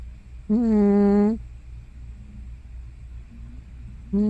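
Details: Asleep, the aged tortoiseshell cat Hana, thought to be over fifteen, lets out a loud snore-like sleep-talk sound: a flat, buzzy, richly harmonic moan close to a second long, then quiet breathing before another begins.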